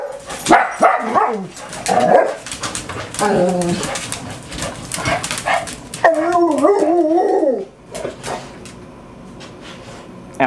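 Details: Six family dogs, Esther, Becky, Doxie, Sandy, Pudge and Buddy, in a typical home morning; a jumble of barks and yips, a dropping whine, then a wobbling howl near the end, with a person speaking to Buddy and music in the background.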